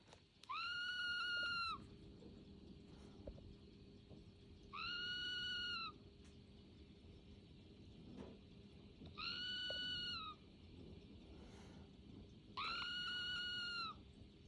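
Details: A red squirrel "singing" at home in Saint Petersburg, Russia, on November 25, 2022, gives long, steady, nasal whining notes of about a second each, repeated every few seconds.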